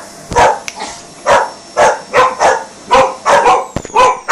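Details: A rescue dog going crazy at the hoover, firing off loud, urgent barks in quick uneven pairs, the vacuum cleaner's high motor whine running constantly behind.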